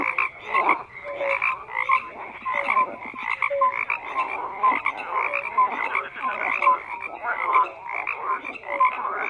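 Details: Dense frog chorus with rapid raspy croaks overlapping and brief tonal blips scattered through, loudness swelling and easing in uneven waves.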